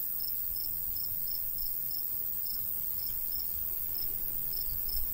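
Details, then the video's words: Crickets of a summertime countryside and golden wheat field give clear, evenly repeated high chirps against continuous high-pitched insect drone and faint low breeze. "Countryside/cricket sounds"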